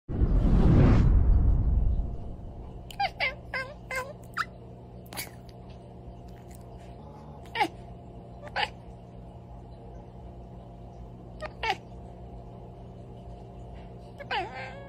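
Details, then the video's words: Domestic cat chirping and chattering: brief, sharp chirps with bright overtones, scattered singly and in pairs across the recording after a loud low thump at the start, over a quiet steady hum. "being a cat is absolutely EKEK-XHAUSTING 🥱 || ekekekkekkek"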